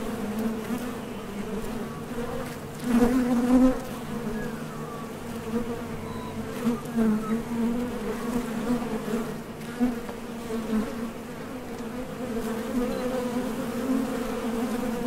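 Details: Steady humming of honey bees at the entrance of a Top Bar Hive as they fly out to and back from nectar sources, the drone rising in brief louder bursts when bees pass close.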